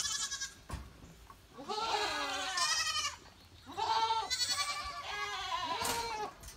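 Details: Goats in the rain, reportedly hating even a few drops, giving three distinct drawn-out bleats, each arching up then down with a pronounced tremble, separated by short quieter pauses.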